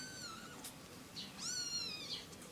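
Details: Kittens, one of three with their mother, give two high, thin mews with rising-then-falling pitch, the second louder and bending sharply, over faint room hiss.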